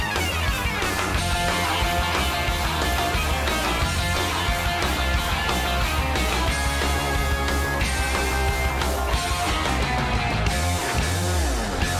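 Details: Loud rock music with distorted guitar and steady drums throughout, no animal voice audible.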